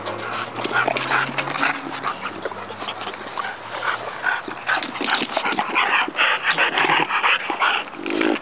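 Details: Several bulldog puppies at play on a playground, a busy stream of whimpering and yipping calls at about two or three per second, growing louder and denser toward the end.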